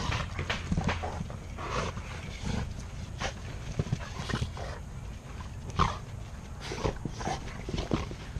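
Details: Tonka, a 110 lb Alaskan Malamute, play-wrestling with Capone, an 86 lb pit bull, and two boys: rough low growls and huffs in irregular bursts, mixed with scuffling thumps and movement noise.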